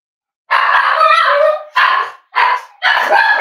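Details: Cavalier King Charles Spaniel indoors at Red Barn Cavaliers during a kitchen livestream; a long rasping bark followed by three quicker barks in close succession, loud and harsh.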